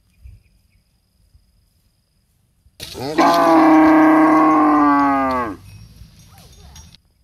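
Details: A cow in a palm oil plantation, reportedly while nursing, gives one long, loud moo lasting nearly three seconds, rich and slightly falling at the end.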